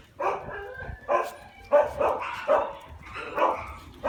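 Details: Shiba Inu giving repeated moaning barks, each drawn-out yowl lasting about half a second, spaced irregularly over four seconds with a quiet indoor background.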